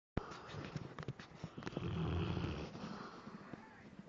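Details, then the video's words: Sleeping Labrador Retriever snoring during a nightmare: one drawn-out, low, rumbling snore swells in the middle, preceded by sharp clicks and soft noises, with faint human voices in the room. "LABRADOR RETRIEVER roncando/snore"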